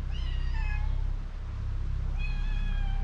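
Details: Hungry mother cat and kitten meowing loudly for food: two clear, harmonic meows about two seconds apart, the first sliding downward, the second longer and level, against a steady low background rumble.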